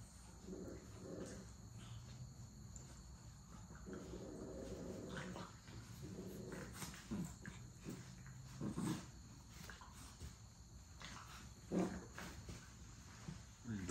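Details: Puppies playing and play-fighting give low, rumbling growls in uneven bursts, one long stretch in the middle, with shorter grumbles and sharp scuffling clicks between them over a steady background hiss.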